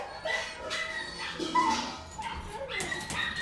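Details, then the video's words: Kennel interior with dogs barking at a distance, high yelps and barks mixed with a broad hiss of room noise and a few sharper rising whines. "Interior de perrera"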